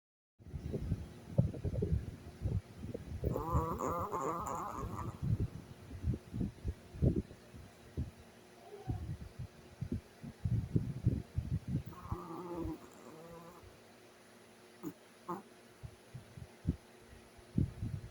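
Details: A sleeping Chihuahua snores in low, rattling, grunting pulses that come in irregular bursts, with short quiet gaps between breaths and a brief higher nasal whine partway through.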